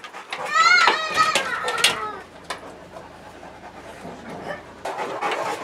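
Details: Dog at Dog Castle Kennel during a visit for tea and biscuits: high, wavering whines with bending tones fill the first two seconds, then softer breathy rustling and a short noisy burst near the end.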